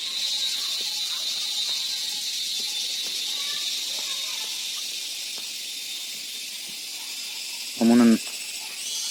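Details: Evening cricket chorus, the calls serving to attract mates: an unbroken high, even-pitched ringing trill that dominates, with faint ticks and a short low voice-like burst near the end.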